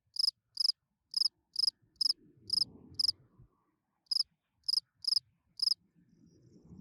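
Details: Night-singing spring field cricket, calling song to attract females: sharp pulsed chirps in bursts with a pause near four seconds, soft low rumbling in the background.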